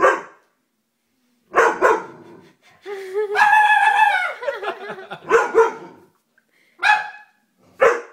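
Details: Doberman dog giving sharp barks, then a long drawn-out whining howl with clear stacked tones that wavers and falls, followed by a few more short barks with pauses between.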